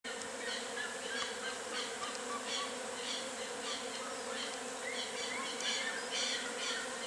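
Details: Western honey bees from a natural colony in full activity, giving a steady, dense buzzing hum that does not let up, with faint short chirps from other small creatures scattered above it.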